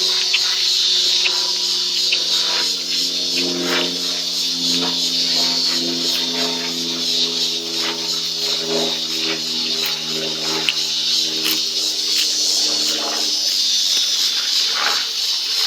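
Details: In Colorado, a cicada up in the trees gives a steady, high, hissing buzz that drones on without pause, loud enough to hear from a kitchen, with a voice speaking faintly beneath.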